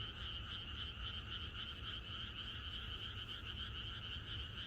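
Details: Frogs singing in unison in the countryside on a pre-rain night, a thick, constant chorus of quick rhythmic croaks with no pauses and a soft low rumble.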